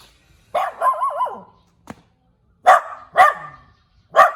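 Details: {'caption': 'Little dog starts with a drawn-out wavering, yodel-like bark, then a click, followed by three short sharp barks spaced about half a second apart.'}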